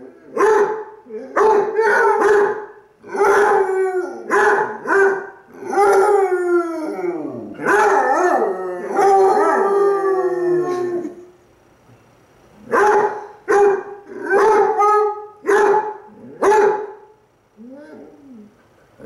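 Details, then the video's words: Two Basset Hounds, one brown and one black, howl back and forth at each other, the brown one while lying on his side; long, wavering, mournful cries rise and fall in pitch. "Basset Hounds Howling... Lazy Style!"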